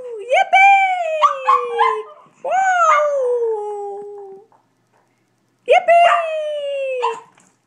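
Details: Female Brussels Griffon singing along with its owner until overcome with excitement: long wavering howls that rise sharply then slide down, broken by short yips, a brief silence, then another howl, with human voice mixed in.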